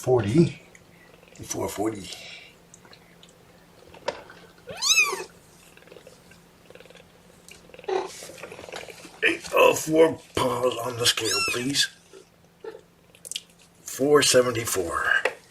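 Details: Young kittens from Mama Seraphina's litter of four cry out while being pottied before their weigh-in, with sharply rising, squealing meows sweeping upward between stretches of talking and handling noises.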